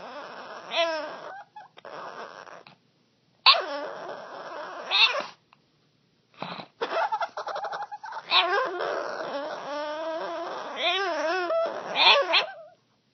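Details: A dog making strange noises: drawn-out wavering, yowling whines that bend up and down in pitch, in bursts of one to two seconds with short silent gaps, becoming a near-continuous warbling run in the second half.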